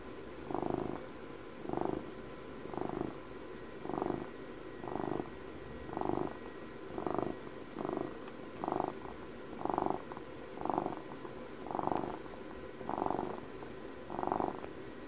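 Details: Twelve-year-old house cat purring, recorded close for ASMR: steady rumbling purr that swells in a loud pulse about once a second, each breath cycle clearly marked, with a soft hum beneath and no other sounds.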